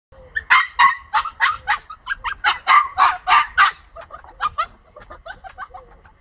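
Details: A female pomsky puppy, shut in and wanting to get to another pomsky, gives a quick run of high, yappy barks that fade toward the end.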